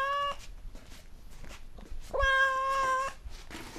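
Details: Curious white Oriental cat, female, following the camera to see what the person is holding. A short meow is followed by soft handling noises, then a long, level, clear meow lasting about a second.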